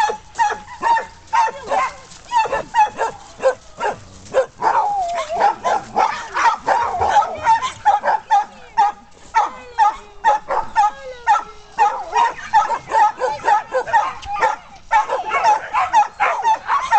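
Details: Playful dog splashing, barking rapidly in excited bursts of sharp barks and higher yips, about two a second with short pauses, some whining in between, while a woman talks affectionately to it.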